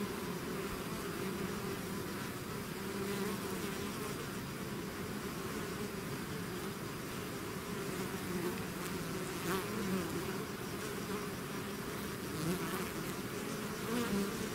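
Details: Bee swarm pouring out of its hive, a dense continuous buzzing hum with steady low tones and overlapping individual bees drifting in pitch, a few louder passes near the end, no other sounds.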